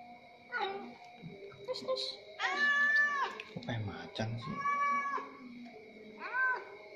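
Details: Orange cat meowing while fed at the pre-dawn sahur meal; several drawn-out harmonic meows, one long level wail near the middle, mixed with human speech and a steady high tone in the background.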